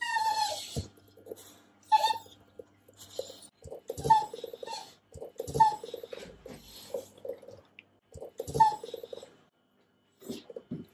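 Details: Hungry beagle Gromit, impatient for overdue breakfast, chatters his teeth in a small room: dense clattering clicks between brief high-pitched whine notes recurring about every one and a half to two seconds; companion dog Penny also whines at late meals.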